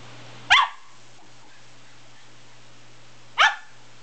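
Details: West Highland White Terrier barking twice, each a crisp, high, abrupt yap nearly three seconds apart, with a constant low hum in the background.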